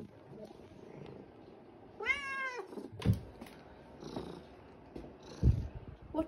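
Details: Vocal white fluffy fat house cat wanting his breakfast; one clear drawn-out harmonic meow, followed by low thumps and soft handling noises in a quiet room.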